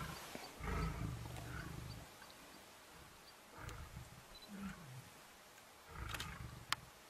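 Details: Male lions after a fight over a lioness: quiet, deep rumbling growls come in three separate bursts, near the start, the middle and the end, with a faint outdoor hush between them.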